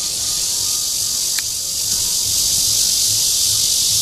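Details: Courting red-veined bear cicada (Cryptotympana holsti) recorded in Guangming Park on Yuanhua Road, Zhongli, Taiwan. An intense, unbroken high buzz that swells a little toward the end, with one brief sharp tick.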